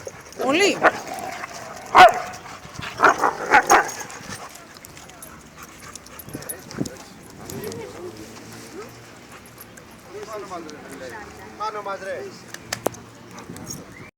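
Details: Lara the Labrador Retriever still playing with other dogs: a burst of barks and yips in the first four seconds, then quieter whimpering, panting and rustling, with Greek speech in the background.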